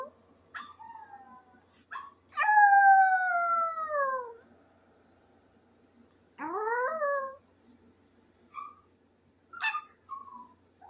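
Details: Benji, a Maltese, gives a series of drawn-out howls: short yelping starts, one long clear falling wail lasting about two seconds, then a rising-then-falling cry and brief yips, separated by quiet pauses.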